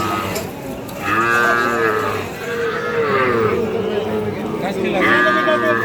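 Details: Sahiwal breed calves, described as suited to farming, at a livestock market: several drawn-out, harmonic moos of about a second each rise and fall over a busy background of human voices and market noise.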